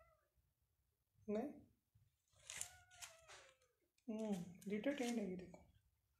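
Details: Persian cat at a cattery in Pakistan with playing cats and kittens: a short meow, then after a pause a pair of longer, drawn-out, harmonic-rich meows, with soft voices in the room between them.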